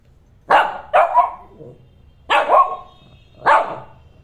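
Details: Barking from a male Shih Tzu pet who wants to play: four loud, sharp barks, the first two close together, each with a brief trailing tail, then a pause before two more spaced about a second apart, against a quiet background.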